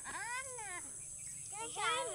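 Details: Goat in a Sundarbans village in India, where goats are fed rice rather than grass, giving two arched, harmonic bleats that rise then fall, separated by a short pause, with a person speaking nearby.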